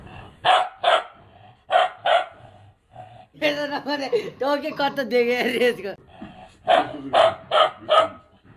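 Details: A two-month-old Bhotia puppy from Mustang gives sharp, high barks in quick pairs, with a person talking and laughing between them.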